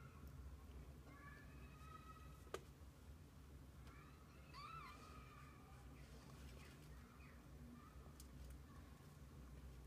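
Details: Kittens and their mother cat spending the day together: several faint, thin, high mews with wavering pitch, each under a second, spread across the clip over a steady low rumbling hum, with one sharp click near the start.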